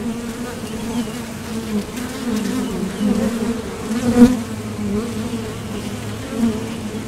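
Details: Continuous low droning of honeybees at a Top Bar Hive entrance, workers coming and going to the field for nectar; even hum with a brief louder surge near the end as a bee flies past.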